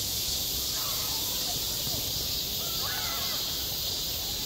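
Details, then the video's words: High summer on a school playground, where a cicada chorus keeps up a constant, piercing shimmer of sound. Soft, faint rising and falling calls, possibly birds, drift underneath. "한 여름 운동장에서 매미가 울고 있다 - 여름의 소리, 학교 종소리, 매미 울음소리"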